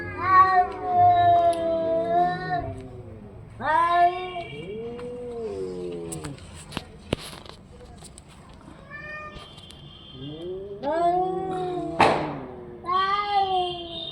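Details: Orange and white domestic cat calling repeatedly with loud, drawn-out meows and caterwauling yowls that bend up and down in pitch, separated by quieter gaps, with a brief sharp hiss-like burst near the end.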